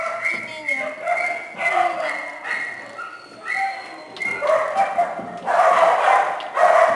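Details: A group of small dogs and puppies in a shelter kennel keep up steady high yips and bright, held whining notes, roughly one outburst per second, building into a louder, denser chorus of yapping near the end.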